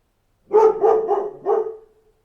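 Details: A dog barking in a quick run of four harmonic barks within about one and a half seconds, the last one slightly separated, with a clean, quiet background.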